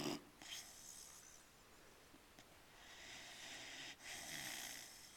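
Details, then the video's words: Guinness, a Newfoundland puppy of 4.5 months, snoring while asleep: breathy, rasping snores rising and falling over several seconds, each inhale a hissing rush with a softer exhale, no other sounds. "Snoring Newfy Puppy"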